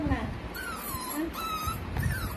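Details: Humming of a puppy 45 days old: a run of high, drawn-out whines, the first sliding downward and the later ones level or gently falling, with a woman speaking softly and low room noise underneath.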